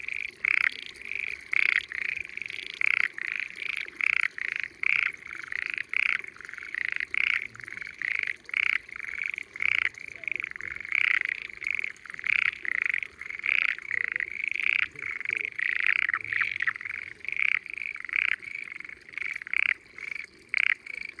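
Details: Spring chorus of frogs hidden in water of peaceful countryside rice fields along a mountainside in Japan; dense overlapping croaks repeated rapidly in steady bursts over an unbroken trilling background.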